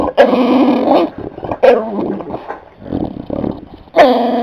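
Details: A dog grumbling to get up on a lap or the couch: rough, growly whines with sharp starts near the beginning, middle and end, and softer mutters between them.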